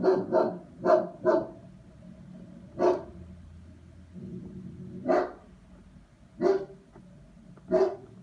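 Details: German Shepherd under testing gives a quick burst of four barks, then slower isolated barks every one to two seconds, with a low rumble between some of them.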